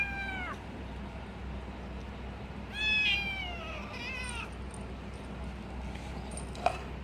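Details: Little kitten making noises while eating cat food and protecting its food: a short falling meow at the start, then a longer wavering, slightly descending mew with a few faint quick notes after, over a low background hum.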